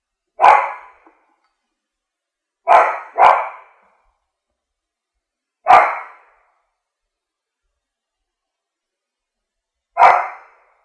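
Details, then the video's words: French bulldog barking loudly: single sharp barks at irregular intervals, one quick double bark near three seconds, with total silence between them. "Dog Barking Sound Effect"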